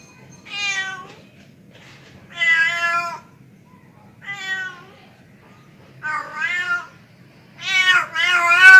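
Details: Male pet cat calling a female with five drawn-out meows, harmonic and wavering, spaced irregularly over about nine seconds. The last two are louder and more strained, over a quiet low background hum.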